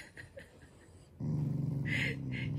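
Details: Shiba Inu in a playful, loving mood, not angry: soft human voice sounds at first, then a deep, steady, throbbing growl starts and continues to the end.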